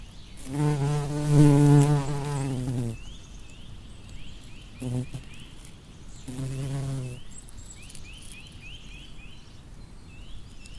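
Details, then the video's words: A bumblebee buzzes among flowers, its low drone swelling and fading over several passes, with small birds chirping behind. "Bumblebee Buzz- Sound Effect"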